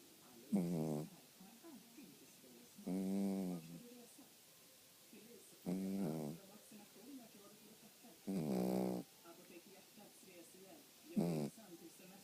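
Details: Sleeping dog snoring: five tonal, droning snores with buzzy harmonic bands, each about half a second to a second long, coming roughly every two and a half seconds over a quiet background.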